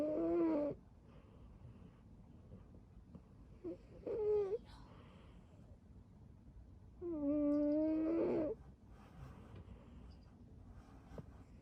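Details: A sleeping cat named String Cheese, curled up and snoring: a brief whistled snore at the start, a short one near four seconds, then a longer steady one around seven to eight seconds, separated by quiet breathing pauses.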